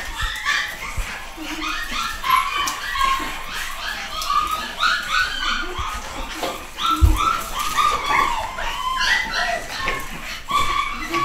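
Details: Nine-week-old pedigree Pug puppies from a home-bred UK litter of boys and girls, whimpering and yipping almost nonstop in high, thin whines that overlap one another, with occasional low thumps from handling indoors.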